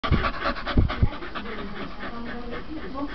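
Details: Two Staffordshire Bull Terriers play fighting: heavy, rough panting with low, gruff huffs bunched in the first second, then softer continuous breathing while a man urges them on.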